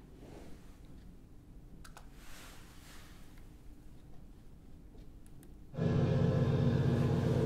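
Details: A blue whale in Skjálfandi Bay, Iceland, exhales air, picked up by an acoustic tag on its body, bursting in as a loud, rushing roar.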